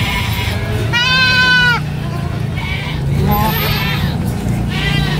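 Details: Goat (kambing) at Gunung Kawi, described as a sacrificial goat: one loud, strained, quavering bleat of nearly a second, followed by softer bleats, with people talking and faint music.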